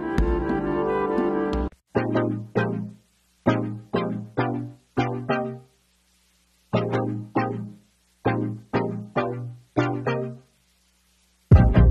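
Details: Plucked pizzicato bass and cello notes play in short, evenly spaced bursts separated by silences, with no animal sounds.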